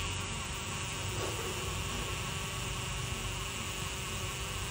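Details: Xylocopa carpenter bees at their nests in a jackfruit tree give a deep, steady, droning buzz that holds without a break.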